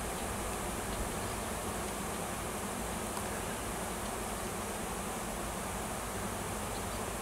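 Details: Wild honey bees swarming around a tree on a farm in Washington, a new queen having left the nest with many workers to seek a new home; a dense, steady low hum fills the recording throughout.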